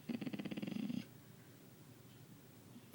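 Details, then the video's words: Pet dog 'talking' indoors: a one-second, rapidly pulsed, growly grumble with a rough, vibrating tone, followed by quiet room noise while the owner speaks soothingly. "talking dog"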